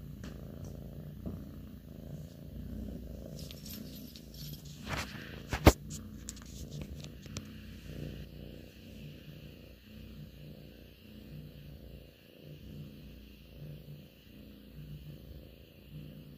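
A Russian Blue cat purrs steadily, a low rumbling throb that rises and falls with each breath.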